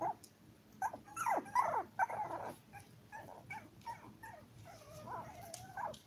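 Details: A litter of seven toy poodle puppies, five weeks old, whining loudly in bursts of sliding, squealing whimpers and yips, then a long wavering whine near the end, over a low steady hum.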